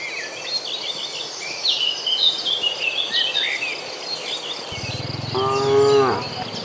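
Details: Cattle in a herd of dozens moving to green pasture; birdsong chirps steadily in the background before a single deep, drawn-out moo with rich harmonics rises near the end and lasts about a second.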